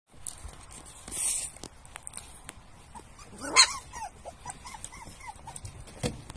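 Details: Young Pumi puppies, born 1 October, squeak and whimper at a breeder's kennel in rapid, thin, rising-then-falling whines several times a second, with faint rustling and soft knocks underneath.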